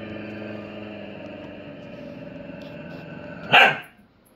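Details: Dogs in a duet hold a long, even harmonic howl that ends in a short, harsh burst like a bark.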